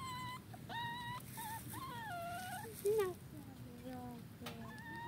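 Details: Dachshund puppy Nairobi on her first walk on grass, giving a run of high, thin whimpers that slide up and down in wavering whistled tones, one louder squeal near the end, over steady wind and a person's soft coaxing voice.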